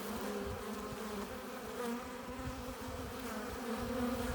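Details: Honey bees buzzing at a hive entrance as they return with pollen and nectar; a dense, steady low hum with overlapping wingbeat tones drifting up and down, no other sounds.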